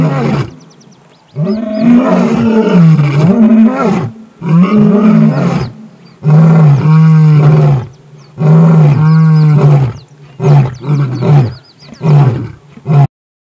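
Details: Several lions fighting over a buffalo kill, giving long, deep roars and snarling growls in repeated bursts of one to two seconds with brief gaps, harsh and throaty throughout.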